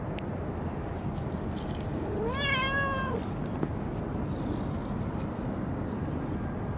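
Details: Cat at Dockyard Garden on 17 June 2017 around 06:20, giving a single drawn-out meow lasting about a second that rises then slowly falls, over a steady low rumbling hum of background noise, with a brief click afterwards.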